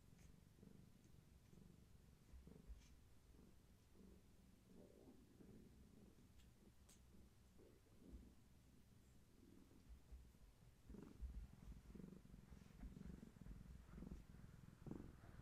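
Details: Gaia, a long-haired tabby cat pregnant with many active kittens, purrs while being held steady and rubbing against a person in the afternoon; a low, rumbling purr rises and falls in soft pulses roughly every second, growing slightly louder near the end.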